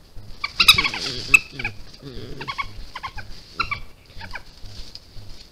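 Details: European badger cub caught on a trail camera on 16 June 2021, giving a rapid run of loud squeals, yelps and chittering notes, varied in pitch and bunched closely together, with a thin constant high whine behind.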